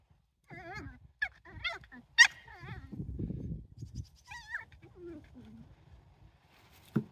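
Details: Jack Russell Terrier puppies playing outside during go-to-ground tunnel training, giving high, wavering whimpers and squeaky yelps in short bursts, with a low scuffling rumble midway and quiet gaps between calls.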